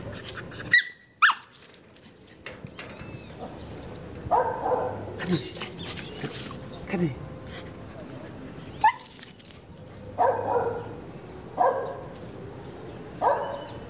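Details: Shirra, a Border Collie, meeting and making friends with a neighbour; scattered short harmonic barks and yelps come between stretches of human talking, with sharp clicks and background noise throughout.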